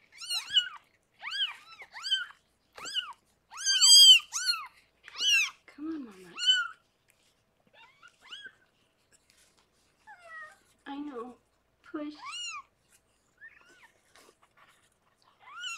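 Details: Newborn kittens of the rescued foster cat Harlequin, born indoors in a litter of six, giving a series of high, arched, rising-then-falling mews in quick bursts, with a few lower, drawn-out cries between and quiet gaps later.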